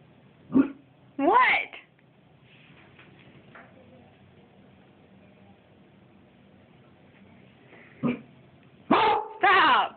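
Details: Indoor Siberian Husky, two years old, barks at its owner's reflection in the back door as if at an intruder. Short, hoarse, rising-falling barks come in pairs at the start and end, with a long quiet stretch between. A woman speaks softly.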